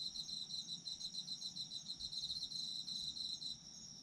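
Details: Chorus of autumn insects, with a bright rapid pulsing trill over a constant high ringing tone; the trill carries on almost unbroken and fades just before the end.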